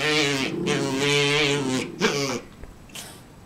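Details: Havanese dog indoors, wanting another dog's bone, gives long drawn-out grumbling whines with a steady low buzzy tone. There are three sustained vocal stretches, then a short quieter sound near the end.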